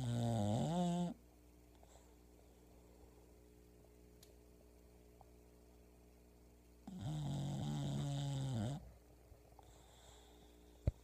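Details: Sleeping English bulldog Pebbles gives two loud snores about six seconds apart, each a rumbling, buzzy drone of one to two seconds with a slightly wavering pitch, with quiet steady hum in between inside the room.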